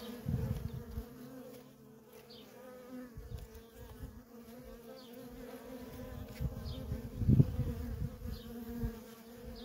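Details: Honey bee workers streaming nonstop at a feral colony, heard as a sustained low hum punctuated by rough low rumbling gusts, loudest just past seven seconds.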